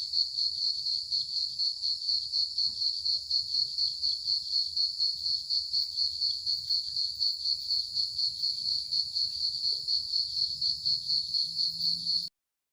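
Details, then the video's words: Crickets chirp steadily in the early evening, a high, pulsing trill that never pauses. "Early Evening sound effect ( CRICKETS ) No Copyright"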